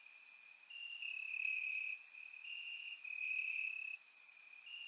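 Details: Night chorus of crickets in summer grass, Bulgaria, taken with a surround microphone: a sustained high trill rising and dipping in loudness, punctuated by short bright chirps from other insects.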